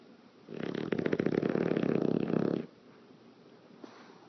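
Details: Sleeping pet English Bulldog snoring while its lips flap in the breath: one long buzzy, vibrating snore of about two seconds, followed by quiet breathing.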